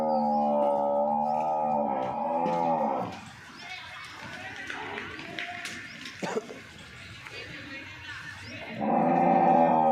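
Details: Local-breed water buffalo, seven months pregnant, offered for sale: a long, deep, harmonic bellow lasting about three seconds, then another starting near the end, with a man talking and faint music in the gap between.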